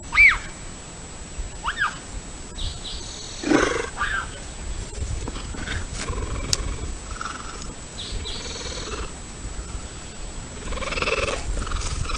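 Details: In Colorado, a male bobcat gives sharp, rising-and-falling yowls and a harsh, raspy cry to call a female.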